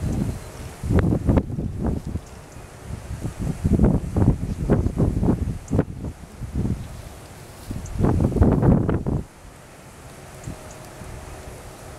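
Gusty wind buffets the microphone in bursts, with rustling leaves and a distant hum, but no animal calls.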